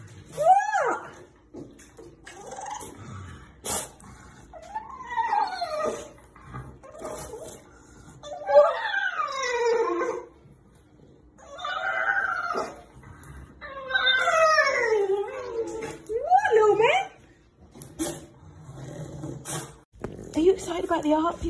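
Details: Indoors, Mork, an adopted rescue dog once saved from China's meat trade, gives elephant-like vocalizations: a series of swooping, rising-then-falling whimpering wails with rich harmonics, separated by short pauses, plus a few sharp clicks and thumps.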